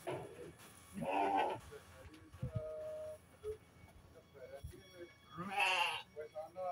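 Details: Sheep at Selanjam Farm in Cokro, Grabag, filmed on 24 May 2022 during a health check: two wavering, harmonic bleats, one near the start and another near the end, mixed with people talking and background music.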